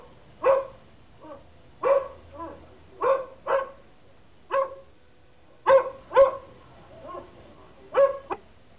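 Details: Pet German Shepherd responding to dog barking sounds; scattered barks of mixed strength, some loud and sharp and others softer, with irregular pauses between them.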